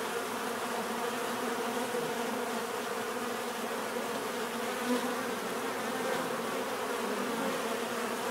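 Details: A swarm of bees makes a constant buzzing drone, several stacked humming tones over a soft hiss, holding level for eight seconds with a faint click midway.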